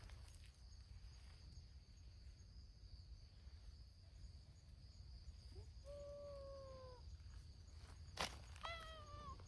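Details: Outdoor community cats, mostly abandoned strays, at a noisy gathering of the brown-tabby-and-white cat Hime's group. A drawn-out, level meow lasts about a second, then a sharp click, then a shorter bending meow, over steady background hiss.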